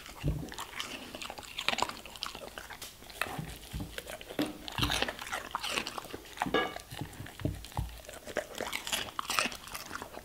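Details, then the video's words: A German Shepherd munching vegetables and fruits in a small room: dense, continuous crunching and biting, loud crisp snaps every second or so throughout, the chewing never pausing for long. "German Shepherd Eating Food ASMR - Vegetables & Fruits"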